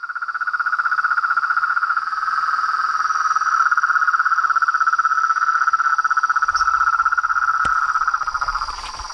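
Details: Frogs and toads in chorus: one steady, rapidly pulsing trill at a constant mid pitch with a faint higher overtone, running unbroken for about eight seconds before easing off, with a brief low rumble and a sharp click near the end.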